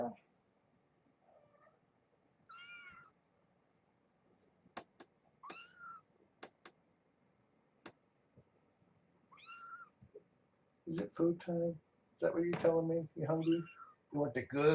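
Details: Litter of kittens beside mother Janine, a brown tabby, caged at Purrfect Pals, playing and bathing paws; three separate high, thin mews a few seconds apart amid soft knocks, then a human voice talking over the final seconds.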